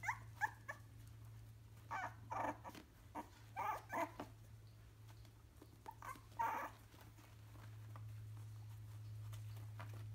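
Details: A three-week-old Yorkshire terrier gives short, high yapping barks in irregular bursts over a steady low hum.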